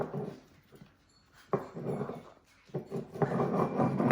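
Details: Dachshund puppy indoors in a small room, giving soft whimpers and low growling noises in irregular bursts, louder and more continuous toward the end.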